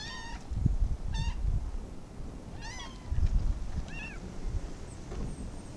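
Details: Pet kittens giving short, high, thin meows, about five brief calls spaced through the clip, some with a slight rising-falling bend, over a low rumbling background.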